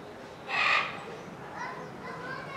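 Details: A male Eurasian (Siberian) lynx, born 6 May 2004, at Hamura Zoo, Japan, recorded in December 2020, gives one short, harsh, meow-like cry, followed by fainter murmuring sounds.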